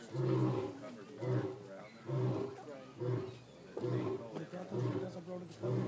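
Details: White lion at Toronto Zoo in 2012 roaring: a steady series of deep, rough grunting pulses, about one each second, fading and returning in strength.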